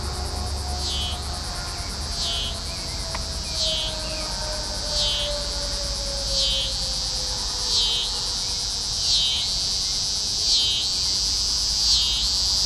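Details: Scissor-grinder cicada (T. pruinosus) singing at night in Carey Park on June 15, 2010, the first night of the year cicadas were heard; continuous high buzzy drone pulsing in regular throbs about every 1.4 seconds, with a faint low tone sliding downward beneath.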